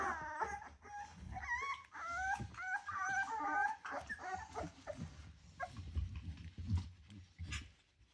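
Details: Three-week-old Rottweiler puppies from a litter of ten: a busy run of wavering high whimpers and squeals for the first few seconds, then quieter scattered squeaks amid shuffling and handling noises.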